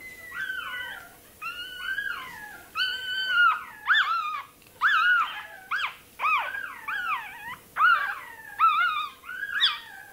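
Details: Toy terrier puppy crying while its tail is docked, piercing wavering yelps rising then dropping, repeated roughly every second in a steady distressed run.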